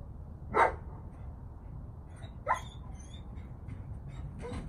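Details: German Shepherd named Oakley, ten months old, during obedience training with recall and sit commands: two short, loud barks about two seconds apart, with a faint third sound near the end, over steady low outdoor rumble.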